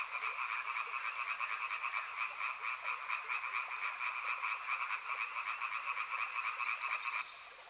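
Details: Loud chorus of frogs by a river, rapid pulsing croaks in two bright bands repeating continuously, then the chorus stops abruptly near the end, leaving only a soft water hiss.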